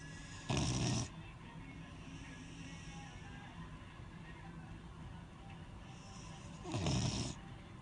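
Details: Beagle dog asleep and snoring, two rough, rasping breaths of about half a second each, roughly six seconds apart, with quiet low humming background between them.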